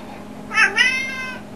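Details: One drawn-out meow from a house cat called Leanna or Boo, rising into a strong harmonic cry and then fading, heard indoors over a low constant hum.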